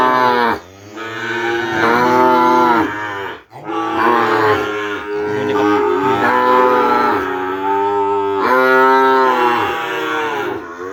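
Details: Kerapan bull-race cattle of the Madura type, bred from stock brought from Sapudi Island to a village home: a long run of loud, strained moos, one after another with brief dips between, the pitch wavering through each bellow.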